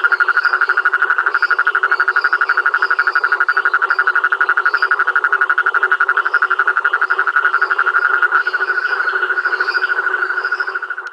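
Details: Rhinella ornata calling at Rio Claro Farm, a continuous fast, mid-pitched pulsed trill held for over ten seconds with only slight dips in loudness, with faint higher calls in the background.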